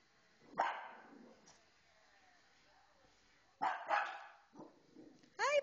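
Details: Excited female pet dog indoors reacting to a pet programme on television; isolated harsh barks separated by quiet pauses, ending with a higher, whine-like yelp.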